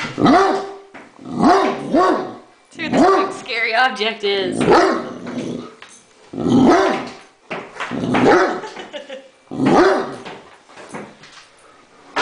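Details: Great Dane Thor reacts to a remote control helicopter, shared target of his and another dog's dislike, with a run of deep barks mixed with growling, roughly every two seconds, and a person's voice heard between them.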